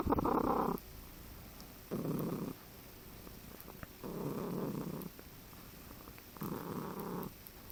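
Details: Cat lying relaxed on a person's chest, drooling, produces a strange mix of purring and trilling: four steady rumbling bursts, each one to two seconds long, separated by quiet breaths, indoors.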